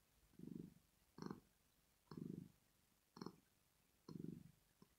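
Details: Sleeping female house cat named Rosetta purring in contentment. Five steady rumbles alternate longer soft phases with shorter, sharper ones, roughly one per second, low and buzzy, with no other sound.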